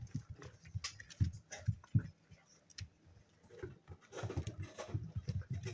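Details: Spaniel puppies, seven weeks old, playing together: bleat-like whines and grunts pop out around the first two seconds, then a stretch of busy low scuffling and rumbling growls.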